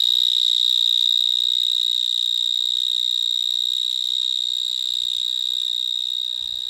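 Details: Close recording of a vineyard mole cricket (Gryllotalpa vineae) calling in a Gironde vineyard: an intense, alarm-like pure high note that runs without a break and fades slightly toward the end, with light scratchy noise beneath.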